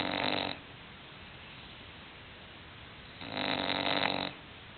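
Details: Hulk, a sleeping English bulldog, snores loudly: two harsh, rattling breaths roughly a second long, separated by a quiet pause of about two and a half seconds.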